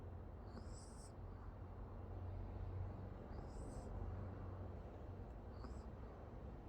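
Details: Pomeranian Oki asleep and snoring: a soft low drone swells with each breath, topped by high nasal whistles roughly every two and a half seconds, quiet room hum underneath.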